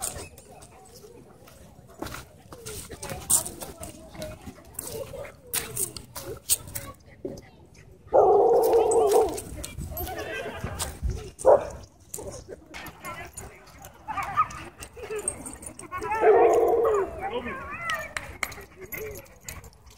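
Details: In a dog park during a wild chase, a dog gives two rough, loud barks about eight seconds apart, surrounded by chatter, clattering and scattered outdoor noise.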